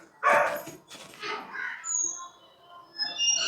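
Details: Female Labrador Retriever barking in alert during a gate sound experiment, reacting as though someone has arrived at the gate while wagging her tail; one sharp, loud bark near the start, then softer voiced sounds and Tamil speech.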